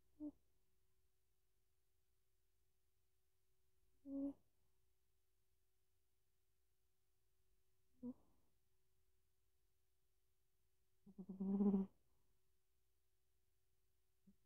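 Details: A sleeping Bengal cat snores softly, a low buzzy bee-like rasp about every four seconds; whiskers and paws twitch as if dreaming. Audio is poor, recorded with an earbud mic.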